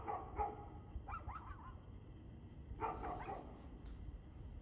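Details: Dog barking on 2/6/2024 at 6:02 pm: a pair of hoarse barks, then a quick run of thinner yips, then another full bark near three seconds, over a constant low background hum.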